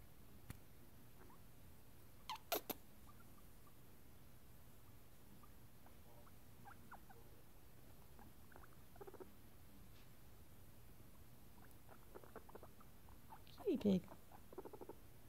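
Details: Guinea pig, Tiki and Bandito, in a quiet room: scattered short squeaks and soft clicking patter, then a louder, falling squeal with clustered chirps near the end, over a low steady hum.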